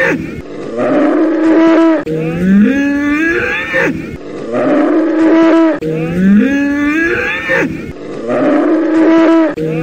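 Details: Bull bellowing in loud, harmonic-rich calls. Each starts low, slides upward, then holds a drawn-out moaning tone, and the same bellow recurs about every two seconds with no other sounds.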